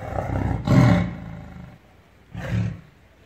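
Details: Angry tiger in captivity giving two brief, low, throaty roars about two seconds apart, the first louder, over a low rumbling background.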